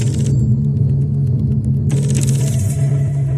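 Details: Loud low engine-like rumble with a steady droning hum and faint tonal music, no animal call.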